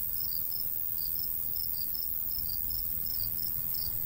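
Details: Cricket chirping in the summertime countryside by a golden wheat field: quick, high pulses in loose pairs and clusters, several a second, with a light breeze hissing underneath.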